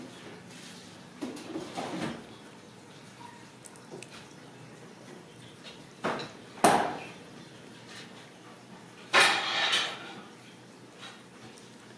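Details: Dishes and cutlery clatter in a small indoor room, with a few knocks and rustles and no clear animal voice.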